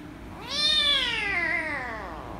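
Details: Loud, drawn-out meow from an angry rescue kitten being petted, starting sharply, holding high and sliding slowly downward for nearly two seconds, rich in harmonics, indoors with quiet low hum.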